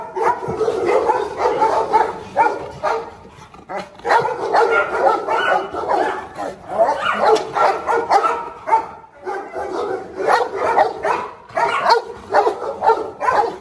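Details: Presa Canario dogs in a pack, where a lame pack leader still marks territory and faces strong rivals. Loud, rough barks come in irregular bursts of roughly two per second, with brief lulls near three and nine seconds.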